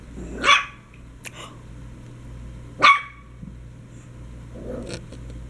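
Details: Dogs at play: a baby dachshund with an Old English sheepdog and a basset hound; two sharp, loud barks about two and a half seconds apart, with clicks, scuffling and softer huffs between.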